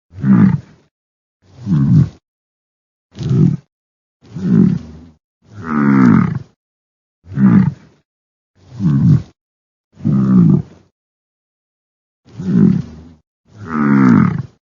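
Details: Repeated deep grunts from a bison, about ten low, harmonic, moan-like calls at uneven intervals of roughly one to two seconds, some longer and fuller than others, with silence between them.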